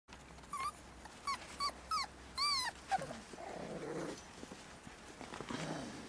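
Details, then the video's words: Puppies playing in the snow, giving a run of short high whines and yelps, roughly five rising-falling squeaks in the first three seconds, then quieter rustling and a soft growly murmur. "Puppies playing in the snow"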